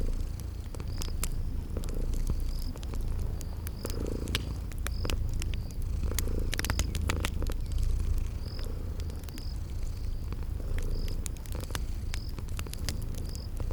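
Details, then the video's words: Cute kitties asleep by a fireplace keep up a low, even purr with gentle swells, while fire crackles snap intermittently and a cricket chirps at regular short intervals in spring garden surroundings. "Relax with Cute Sleeping Purring Kitties"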